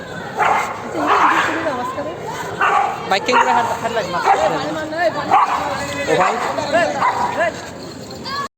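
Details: Dog fight with dogs barking: a rapid, irregular run of coarse barks and yelps, closely spaced and overlapping, mixed with wavering whines or voices throughout.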